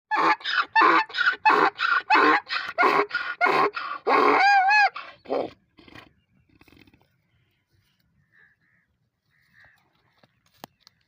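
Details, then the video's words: Donkey braying: a loud run of harsh, rhythmic rasping pulses, roughly ten in five seconds, ending in a brief high squealing tone, followed by near silence with a few faint distant noises. "Donkey funny sound"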